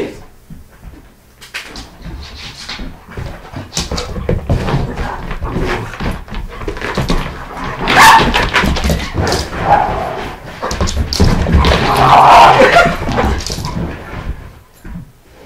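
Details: Doberman and miniature schnauzer playing indoors, the doberman running a figure-eight pattern through the house to make the schnauzer drop her ball; scrabbling paws and thumps throughout, with short tonal whining yelps rising midway and again near the end.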